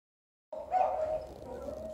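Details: Garfild, a male cat waiting his turn among cats in heat, gives a short, steady mid-pitched yowl that begins after half a second of silence and holds fairly level for about a second and a half.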